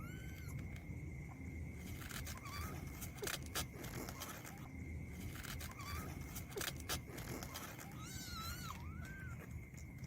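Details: Fighting kittens let out scattered short mews, the last pair longer and bending up then down, between soft scuffling clicks and knocks, with a steady low background hum and a faint continuous whine.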